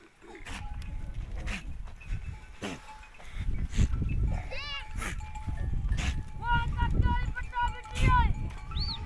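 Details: Goat herd resting together on warm sandy dunes in a desert forest at sunset after a day of foraging; several wavering, harmonic bleats cluster late in the clip over low rumbling wind and handling noise, with brief voices.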